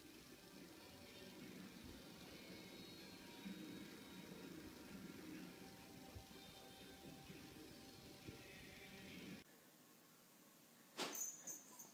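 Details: Quiet indoor hum with faint television-like music, then a brief cut and a short burst of noise near the end; no animal call heard.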